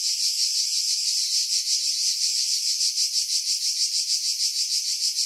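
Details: Cicadas singing in pine trees about 50 m above the sea at Pefkos Bay, Skiros Island, Greece, in July 2018; a dense, high, hissing buzz pulsing about three times a second, with wind filtered out.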